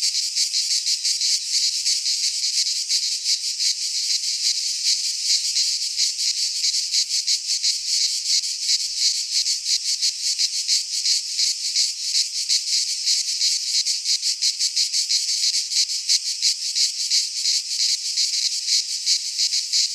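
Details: Midsummer cicada song from Greek pine woods: a sustained, piercing high buzz made of fast, even pulses, a thick chorus that never pauses over twenty seconds, no birds or people audible.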